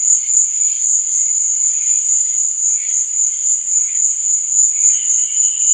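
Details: Nighttime cricket sound: an even, ringing high trill runs the whole time while softer lower chirps pulse irregularly beneath it, growing clearer near the end.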